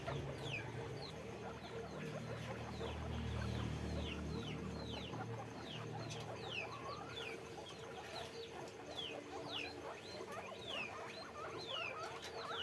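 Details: Guinea pigs kept in cages on a farm, many short descending squeaks overlapping in a dense chorus, several each second, over a steady low hum and background rustling.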